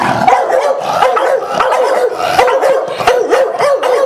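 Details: Sox and Neo, a pair of pet Staffordshire bull terriers, bark excitedly indoors in reaction to their owner saying "who's that"; rapid repeated barks, roughly one to two per second, overlapping throughout.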